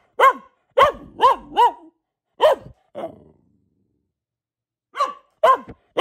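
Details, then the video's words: Barking by a pet female Boxer named Luna: a quick cluster of five sharp barks, a softer gruff bark, a two-second silence, then three more barks at the end. "Relaxing Barking from our Dog - Luna the Boxer"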